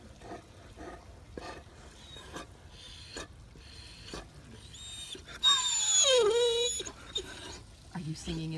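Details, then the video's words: Great Dane sitting and relaxing in a pool, making odd sounds: a long, high, squealing whine that slides steeply downward and trails off, preceded by soft splashes and a woman talking to him. "Funny Great Dane Makes the Oddest Sounds"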